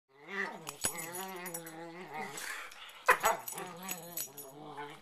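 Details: Two pet dogs playfighting on a bed at night before sleep, in a prey-predator play ritual: drawn-out whining, wavering growls and snarls trading back and forth, with a couple of sharp sounds of movement.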